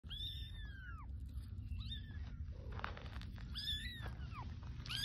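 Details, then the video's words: A baby kitten meowing for its mother to rescue it: three high, thin, arching meows that slide downward at their ends, spaced across five seconds, over a steady low rumbling background noise. "Baby kitten meowing for mom to rescue him"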